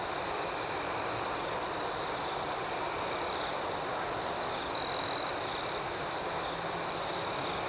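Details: Nighttime cricket chorus, a constant high shrill ring with a faint rhythmic pulsing overtone. Near the five-second mark, one closer cricket adds a single brief, louder burst of rapid chirp pulses.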